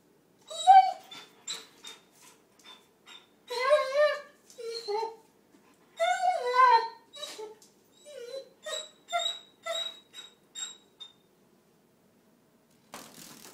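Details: Young male German Shorthaired Pointer named Adenine, roughly a year old, whimpering indoors while chasing a dragonfly through the kitchen: a quick series of high, sliding whines and short yelps, some drawn out, some clipped, ending in a scuffling noise.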